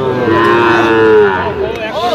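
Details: Sahiwal bull calf bawling at Aftabganj market, Bangladesh, on 28 September 2025 while Dhaka farmers shop for calves. One long, harmonic moo that swells and slowly falls, ending with a short rising-falling call, over faint crowd noise.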